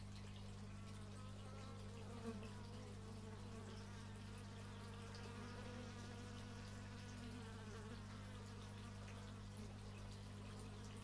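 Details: Continuous bee buzzing captured outdoors with an x/y stereo microphone, several wavering droning tones overlapping for the whole stretch, set against a steady low background hum and a single faint knock.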